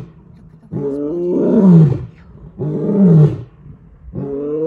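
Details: A male lion in Kruger National Park, South Africa, walks purposefully in the early morning and calls his pride with deep, throaty roars. Each roar is a long moaning groan that slides downward in pitch.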